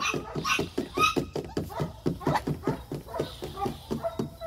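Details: German Shepherd puppies giving rapid, short yelps and whimpers, roughly five per second, overlapping in a busy indoor scene with faint talking underneath.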